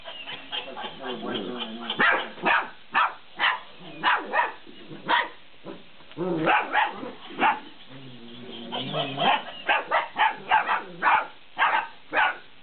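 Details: Fifty-day-old Malinois puppies at play with a laughing cat toy; choppy high yips and barks in quick volleys, some clustered, others spaced about half a second apart, with brief pauses between flurries.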